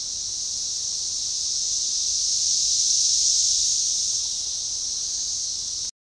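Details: Periodical cicadas, Magicicada tredecassini, in an organized synchronizing chorus near DeValls Bluff, Arkansas, on June 7, 2015, forest edge; one continuous shrill buzz rising to a peak mid-way then easing off.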